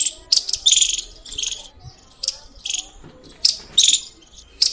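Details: Loud squirrel chirps: short high-pitched bursts repeated irregularly, some clustered in quick runs, with quieter gaps and faint low background noise.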